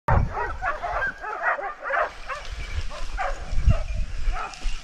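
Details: Several dogs holding a large wild boar at bay in Ribagorza, Huesca, barking in dense overlapping bursts of sharp, ringing barks and yelps, with a loud low thump at the start and another near the end.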